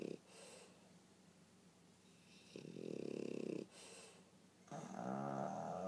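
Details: Sleeping Pug Pangpang and French Bulldog Pipi snore together; after a quiet stretch, a gravelly snore of about a second is followed by a longer, more tonal, vibrating one near the end.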